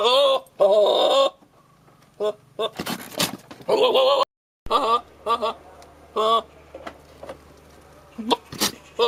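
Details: Billy goat calling at a nanny goat to show his love: loud, wavering, nasal bleats in bursts, with sharp clicks and knocks between them and a brief silent gap midway.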